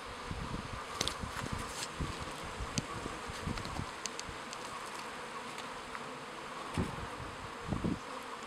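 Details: Honey bees around a hive in a Queyras apiary near Guillestre, France: a continuous buzzing drone with passing louder buzzes of single bees flying close, plus scattered clicks and light rustling.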